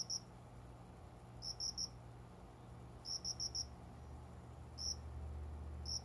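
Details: A cricket, possibly a bell cricket, sings indoors among window-side plants just after 5 a.m. in summer, in bursts of three or four clear, high chirps spaced a second or more apart.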